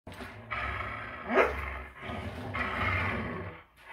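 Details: Greyhounds fighting over a toy: deep, rumbling growls in long sustained bursts, with a brief sharper yelp-like rise near the middle and a second growl swelling toward the end.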